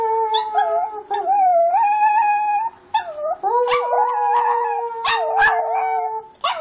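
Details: Pet dog named Foxy, recorded on an Android phone, howling: wavering, tonal mid-pitched wails that dip and rise, with a long steady drawn-out note in the second half, broken by short sharp yips and brief pauses.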